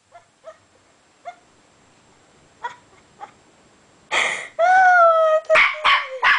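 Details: Puppy at play with a door stopper: a few faint soft yips, then a loud burst of noise and a drawn-out high whine that slides downward, ending in short sharp yelps.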